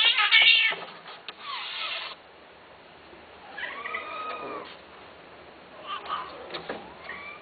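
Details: Domestic cat meowing in short, arched cries, each one rising then falling, separated by pauses. Brief bursts of hissy noise come early on, and the room is otherwise quiet.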